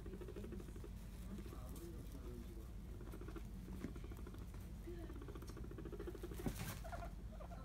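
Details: Hairless guinea pigs rumble strutting in dominance; low droning rumble with faint pulsing throughout, some short squeaky notes and a few rustling knocks nearby.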